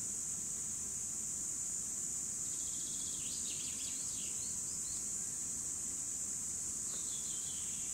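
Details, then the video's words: Cicadas in 2017 give a steady piercing hiss-like drone, overlaid around the middle by a burst of quick bird twitters and another short chirp near the end. "Цикады 2017 / Cicadas"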